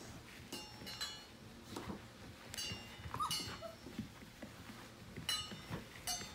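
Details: Morning playtime for a litter of Portuguese Water Dog puppies, just over five weeks old, sired by Nash out of Libby. Scattered short squeaky yips and one rising whine come over clicks and clatter in a small room.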